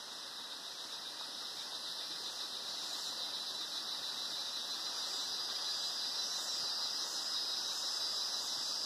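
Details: Cicadas singing in the Atlantic Forest at Sítio das Mulatas, Araras, Petrópolis, Rio de Janeiro, Brazil: a dense, steady, high-pitched buzzing drone running without break and slowly swelling louder, with a soft hiss underneath.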